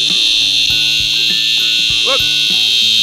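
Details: A Brown Baker cicada, among an infestation of cicadas in the Australian summer and recorded with a drone, gives a loud, continuous, high-pitched buzzing drone, with a man talking over it.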